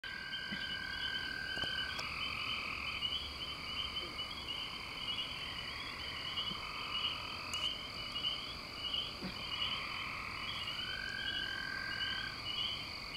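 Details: Frogs calling, male and female calls, in a dense outdoor chorus: steady trilling and pulsed croaks layered at several pitches, with a long level tone breaking in and out over constant background noise.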